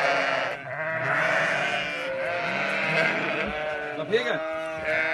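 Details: Sheep bleating as lambs reunite with their mothers in Sinop, Turkey; overlapping quavering bleats fill the scene, with a person's voice cutting in near the end.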